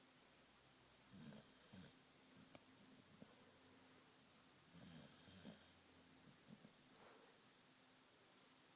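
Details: Female Australian Cattle Dog, a red heeler, in deep sleep, snoring softly in quiet breathy snorts about every four seconds, under a steady low hum.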